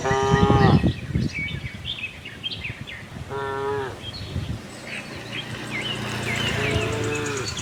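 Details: Friendly farm cows looking for grass: a short moo at the start, another around three seconds, and a longer low one near the end, set against busy bird chirps and a steady rural hum.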